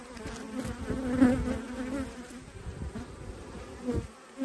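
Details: Autumn hive inspection with honey bees: a continuous, even buzzing drone fills the recording, swelling briefly in places, with faint handling noises and no other animals.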